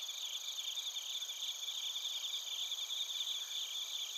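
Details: Suzumushi bell crickets and koorogi crickets in Narita, Chiba, Japan, TASCAM Portacapture X8 recording; a tight, shimmering chorus of fast pulsing chirps over continuous high tones, even in loudness from start to end.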